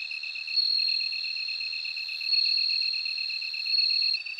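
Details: A bell cricket's bright, sustained ringing trill with three louder surges spaced about one and a half seconds apart. It sits over a continuous rapid ticking pulse from another insect.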